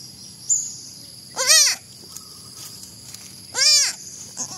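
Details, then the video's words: Two arched, nasal bleats from a baby goat about two seconds apart, each rising and falling in pitch, with faint background hiss and light knocks. "Baby goat funny video"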